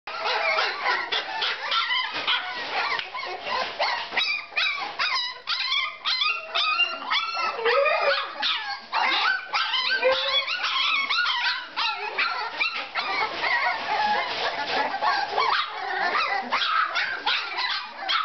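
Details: Two three-week-old puppies, Jiva and Jericho, give a dense run of high yips, whines and squeaky barks, overlapping and nearly continuous, with pitch sliding up and down through the whole stretch.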